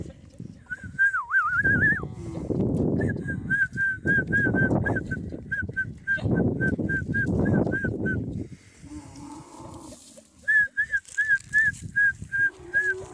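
Deep, gurgling camel groans swell and fade in long rough bursts, the sounds of male and female in courtship. A thin, high beeping tone repeats rapidly through much of the recording.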